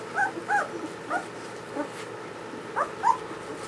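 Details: Newborn German Shepherd puppies from Ulra's first litter whimpering: short, high, squeaky whines in bursts, some rising then falling, about six cries in under four seconds over quiet indoor background.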